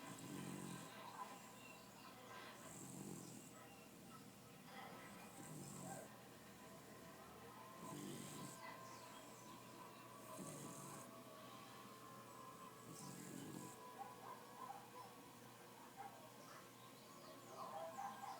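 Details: Toy poodle snoring while asleep, said to snore like a person; soft low breathy snores recur every two to three seconds, each with a faint hiss above, over steady background hum and faint voices.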